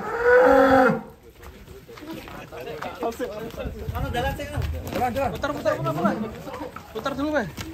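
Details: Huge fattened cattle at Setia Farm riding a swaying truck; one loud, rich moo fills the first second, then voices of people talking take over for the rest.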